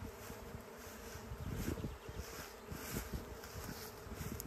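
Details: Honey bees swarming overhead on the way to a new home, a natural colony split led by the queen; thick low buzzing drone with bursts of louder wingbeats swelling midway, faint hiss above.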